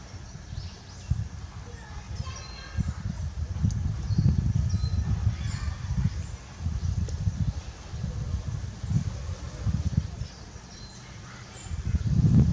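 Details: Barry, a male lion at Tobe Zoo, Japan, kept with his mate Daisy, gives his low, gruff call on 27 October 2020. Deep grunts repeat about once a second and swell louder at the end, with faint bird chirps above.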